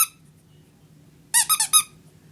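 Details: Frightened of a hair dryer inside a room, the female puppy Leah lets out one short squeak, then a tight burst of four shrill, tonal yips in rapid succession over a low constant hum.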